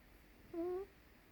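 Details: Eight-week-old blue Staffordshire Bull Terrier puppy indoors, giving a single short tonal whine that rises slightly over about a third of a second, with faint harmonics and a quiet room behind it.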